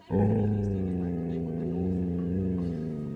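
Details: Dog named Laksa growling at a deer through a caravan window on first seeing one: a single unbroken, deep, even rumble lasting about three seconds.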